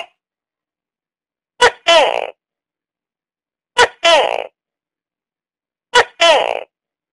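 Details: A tokay gecko repeating its barking two-note call three times at a steady interval of roughly two seconds, a quick hard onset then a longer resonant, croaking syllable each time. No other sounds.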